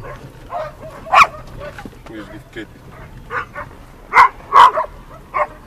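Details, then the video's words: Shira the dog greeting someone: a few sharp, loud barks burst out irregularly among quieter yips, with a person talking nearby. "Shira's greeting/Шира посреща"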